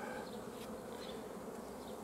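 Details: Steady, dense buzzing of many honey bees at an apiary during the honey harvest on 15 July 2016, a continuous low drone with no breaks.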